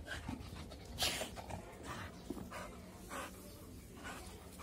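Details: An American Bully in Rewari, breathing in rough, breathy bursts of noise, with one stronger huff just after the first second, over a steady low hum.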